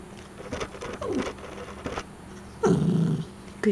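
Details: Puppy being trained to growl on command: a woman's voice gives praise and cues, followed by a short low rumbling growl lasting about half a second, then another brief growl at the end.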